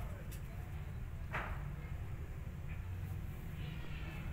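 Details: An angry kitten, hidden behind another cat, lets out one sharp, airy hiss, with fainter breathy puffs afterwards against a constant low background hum.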